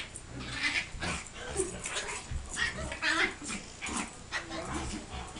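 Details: A big dog and a little dog, Reggie and Riley, playing; throaty growls mixed with whiny yelps and short barks come in repeated bursts throughout, with scuffling noise between them.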